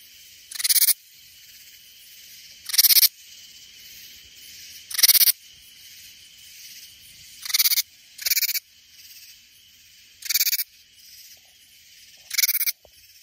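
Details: Katydid song recorded in Texas Hill Country near San Antonio, not a cicada: seven harsh, buzzy bursts spaced about two seconds apart, each roughly half a second long, over a soft continuous background drone.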